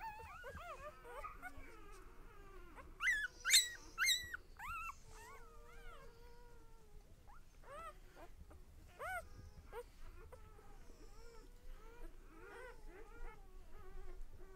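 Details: One-day-old puppies in a litter giving continual thin, arched whines and squeaks, with a louder, shrill cluster of cries near the middle and fainter scattered calls afterward.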